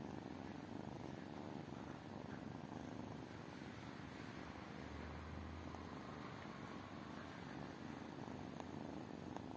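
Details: Tiny kittens purring: a steady, low rumbling purr that runs without a break for nearly ten seconds, pulsing evenly and softly, with no other clear sounds.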